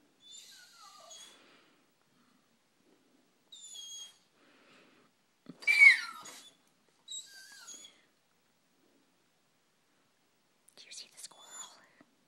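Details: Bugsy the dog, indoors, wanting to go outside to stare at a squirrel: short high whimpers sliding downward, coming in separate bursts with quiet gaps, one brief louder squeal near the middle.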